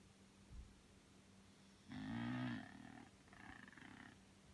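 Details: Sleeping Bulldog named Belle gives one loud rasping snore followed by a softer, shorter wheezing breath, over a faint steady hum.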